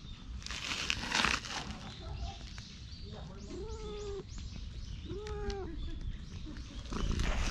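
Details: Stray cat at a shrine being petted, filmed on a GoPro; two drawn-out meows, each rising then falling slightly, about two seconds apart, over steady background noise and rustling.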